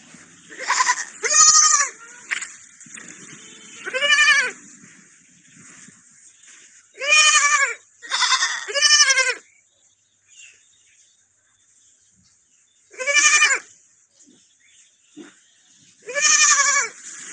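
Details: Young lamb in company of a small dog, calling with loud quavering bleats, several in close pairs, separated by quiet gaps of a few seconds.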